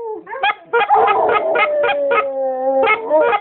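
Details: Yellow Labrador Retrievers howl in long, wavering mid-pitched tones in response to a goose call, broken by a burst of sharp, rapid honks from the call.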